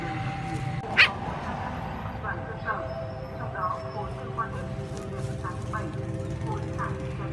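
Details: Puppies squabbling with bigger dogs over food: one sharp bark burst near the start, then a string of short, curved yelping whines, over a steady low hum and background voices.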